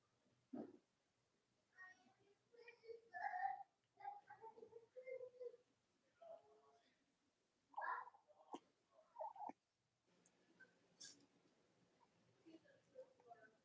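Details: Cavalier King Charles Spaniel puppies from Robin and Myra's litters, indoors on a chilly Monday morning, give scattered high whines and squeaky cries, some rising and falling, with brief gaps and faint room noise between them.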